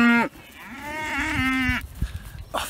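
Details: Dexter cattle mooing early in the morning, excited at being let onto new grass after growing bored of their grazing; a short harmonic moo opens, then a long, steady, slightly rising bellow lasting over a second, with a person speaking nearby.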